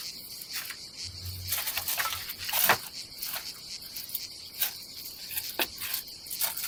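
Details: Cicadas buzzing on a summer day at a Croatian campsite above the Adriatic Sea, a constant shrill drone interrupted by scattered handling knocks and rustles.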